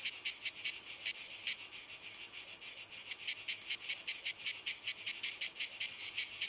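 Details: Cicadas in walnut trees sing a high, dry, hissing buzz, pulsing steadily with rhythmic surges.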